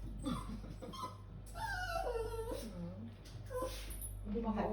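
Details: A poodle afraid of climbing high stairs whimpers repeatedly, several wavering, falling whines spread across the clip, while a person keeps calling and coaxing it in speech.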